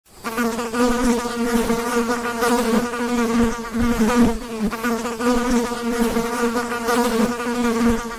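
A fly's buzz runs continuously, a low humming drone with a rich, reedy tone. The pitch holds nearly level while the loudness swells and dips gently as the insect moves about.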